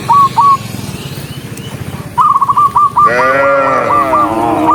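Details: Dozens of tame cattle walking along as a herd; after quiet footfall-like rustling, a deep harmonic moo swells near the end, with short repeated high chirping notes before and over it.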